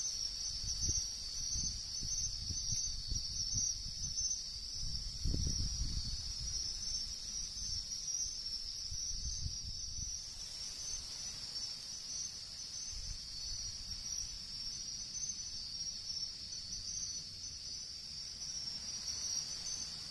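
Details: Wild bell crickets in riverside woodland give a steady, high, ringing trill that runs without a break through the whole recording, with low rustling and handling thumps beneath it.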